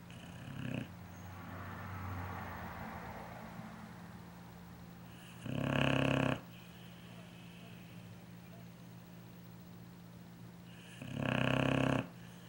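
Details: A big dog sleeping, snoring in loud, rasping bursts about every five to six seconds, each lasting close to a second, with quieter breathy inhalations between them against a low steady hum.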